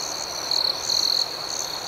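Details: Night crickets give a high constant trill broken by two quick bursts of rapid pulsing, with softer chirps from other crickets above.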